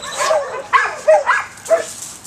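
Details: Dog barking: four short, sharp, fairly high-pitched barks in just over two seconds, each with a quick rising-then-falling yelp shape, the first softer and the rest more abrupt.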